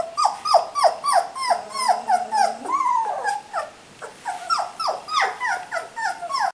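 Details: Litter of 3-week-old puppies crying: fast, downward-sliding squeaks about three per second, broken by one longer wavering whine and a short lull before the squealing resumes.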